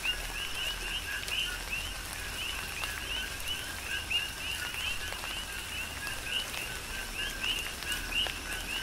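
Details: Big Island, Hawaii: coqui frogs sing through a tropical downpour, their quick two-note co-qui chirps overlapping densely and repeating several times a second across the chorus, with continuous rain noise and occasional louder drops.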